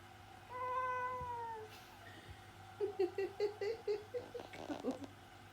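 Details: Orange tabby domestic cat giving closed-mouth meows indoors: a long, even, nasal hum first, then a quick run of about ten short, soft chirping murmurs; faint low hum underneath.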